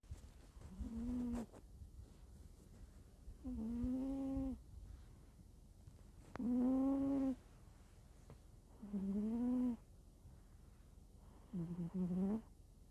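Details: Domestic cat snoring while sleeping deeply in a bed spot it has taken over. Tonal, slightly whining snores with a low fundamental and bright overtones come about every two and a half seconds, five breaths in all, in a quiet room.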